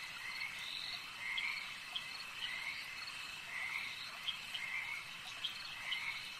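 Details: Frogs at a lake calling together in a thick chorus, distinct short croaks recurring roughly once a second but unevenly spaced, layered over a continuous high buzzing background of other callers.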